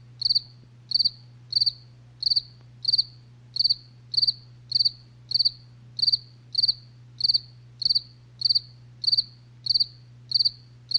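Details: Crickets chirping at night, a relaxing nature soundscape: short high chirps, each a quick cluster of three or four pulses, repeated steadily about every two-thirds of a second, over a low constant hum.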